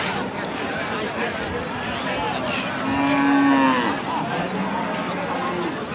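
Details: At Raniganj cattle market in Ghoraghat, Dinajpur, Bangladesh, on a Monday, a cow gives one drawn-out moo of under a second, flat and slightly wavering, amid dense crowd chatter and bustle.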